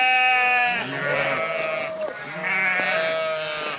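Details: Sheep responding to a farmer's calls, loud drawn-out quavering bleats, one ending near two seconds and another starting soon after, with other sheep bleating faintly underneath.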